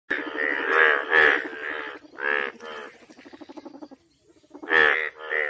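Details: Frog calling loudly in short harmonic, nasal croaks about a third of a second long, separated by stretches of rapid buzzy pulsing, with a brief quiet gap before more croaks resume.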